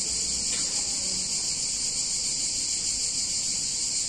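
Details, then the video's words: Cicadas in a picturesque Italian town on a hot summer day fill the air with a seamless, intense buzzing drone, steady from start to finish over a quiet low background. "Cicadas In Warm Summer Day In Italian Town"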